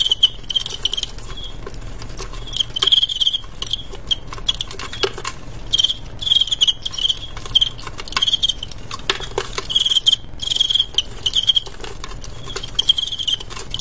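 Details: Fighting male crickets, with intermittent bright chirping bursts scattered across the recording and frequent sharp clicks and scraping taps, as if from movement in a small enclosure.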